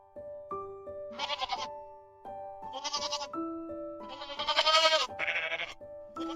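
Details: Goat bleating in a children's animal sounds compilation: short quavering bleats in bursts, the loudest and longest near the middle, set over steady tonal background music notes.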